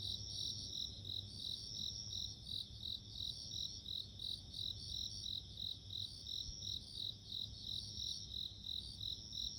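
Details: Bell cricket (suzumushi) calling: bright, high ringing trills in rapid pulsed bursts, about three per second, over a steady high insect drone, with a soft low rumble underneath throughout.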